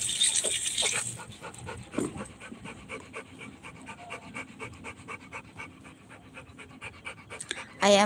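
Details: Rottweiler puppy at playing time, panting steadily in rapid, regular huffs for several seconds after a brief burst of speech, ending with a sudden loud noise.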